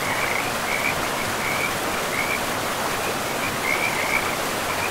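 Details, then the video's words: Frogs calling beside a river in a pristine forest: short, slightly rasping high croaks come in brief bursts over a steady, loud rush of flowing water. "River and Frogs sleep sounds"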